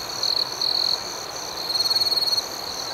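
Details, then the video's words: Night crickets outdoors give repeated loud, high, buzzing trills: two quick bursts, then a longer pulsing trill, over a constant background of fainter chirping. "Soothing Cricket Sounds"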